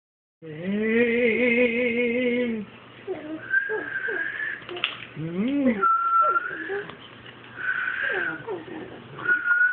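A Boston Terrier gives wavering, drawn-out howls and yowls in answer to a person's steady whistling.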